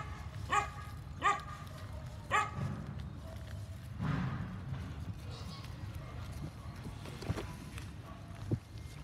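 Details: A cream-colored, black-tongued Phu Quoc Ridgeback gives three short, sharp barks, followed by murmured voices and background noise.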